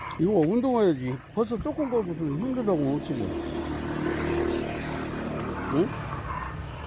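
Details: Kan, a pet dog, sulking after returning home from Gageodo island, gives a run of wavering, tremulous grumbling whines for about three seconds, pitch sliding up and down in loops, followed by quieter background murmurs and a brief rising note.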